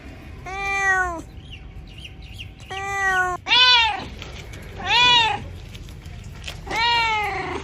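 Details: Cats meowing in a bamboo tree as they look for food and drink, five distinct meows: two level, even ones followed by three louder arched calls, spaced roughly every one to one and a half seconds.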